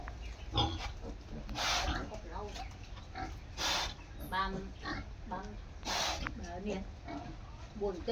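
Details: A crossbred wild boar sow with her newborn litter of eight piglets in their nest, recorded 11/01/2016; short low grunts and squeals come in bursts, interrupted by a man talking and handling noises.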